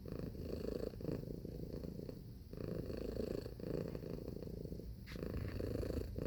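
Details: Cat purring steadily indoors, a dense buzzy rumble broken into long phases by brief dips roughly every one to two and a half seconds as it breathes in and out.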